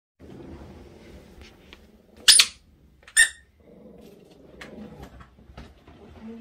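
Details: A Mame Shiba Inu puppy gives two sharp, high-pitched yaps at a family member it takes for a suspicious stranger, one of its first times barking at someone other than its older dog sibling.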